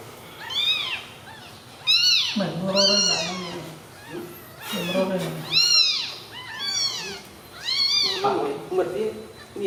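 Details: Newborn baby kittens lying together give loud, high-pitched arched meows, about one every two seconds, each rising then falling, with deeper throaty sounds between calls.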